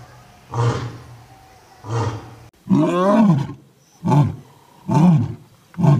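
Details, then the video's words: Roaring from old and young lions: two short deep grunts, then one longer, wavering moan-like roar, followed by three more clipped low roars in quick succession over six seconds. "Epic roaring of Old and Young Lion Kings"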